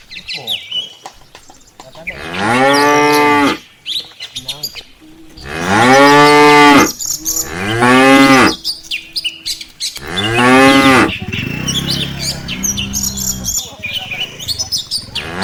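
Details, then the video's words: Village cattle herd walking together toward the farm pen in the afternoon. Four drawn-out, loud harmonic moos of about a second each, spaced a couple of seconds apart, while birds chirp and twitter throughout. "suara sapi desa"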